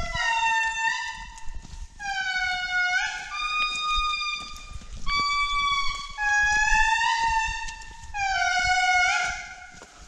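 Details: A family of Indri, the largest living lemur, sing in forest at Andasibe-Mantadia National Park, Madagascar, in July 2019. Long, trumpet-like wails swell and slide, several voices overlapping, with males high and females low.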